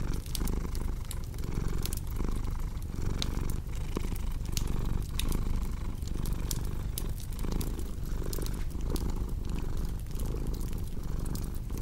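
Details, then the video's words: Close, deep purring of a cat, a throbbing low hum repeating with every inhale and exhale, accompanied by bright crackles from a burning fire. "Purring Cat with Cozy Crackling Fireplace Sound"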